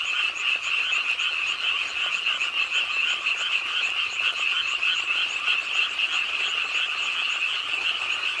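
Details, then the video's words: Many frogs croak with the nighttime rainfall beside a pond in Suwon's Ingye Art Park. A loud, continuous mass of rapid pulsing croaks forms a steady, grainy trill throughout. "비오는 밤 개구리소리"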